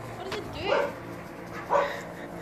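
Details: Dog chasing and barking at a blimp overhead: two separate yelping barks about a second apart, mixed with a person talking.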